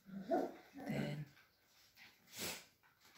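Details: Cavalier King Charles Spaniel puppies playing at a breeder's home in the Sierra de Madrid, Spain; two quick tonal growl-whines in the first second, then a pause and a soft breathy burst, indoors.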